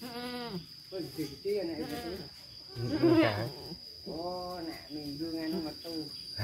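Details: Goats with their kids at an Indonesian goat farm: wavering, harmonic bleats rise and fall, one near the start and another around four seconds, mixed with human speech and a steady high electronic whine.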